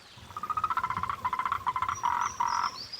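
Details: Moltrecht's green tree frog giving its mating call, heard day and night in the mating season: bursts of rapid, harmonically rich pulsed croaks, several trains in quick succession, with a faint high whistle near the end.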